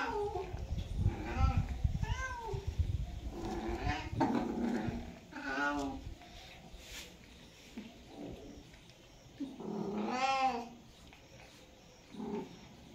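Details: Cats during mating season caterwauling: a series of short, wavering yowls, some rising and falling, spaced irregularly, with a low rumbling background early on and a longer bending cry near the end.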